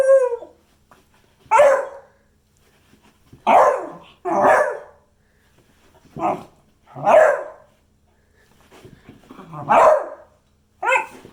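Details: Beagle barking in short bursts, about nine barks in eleven seconds at uneven intervals, some in close pairs, with quiet gaps between.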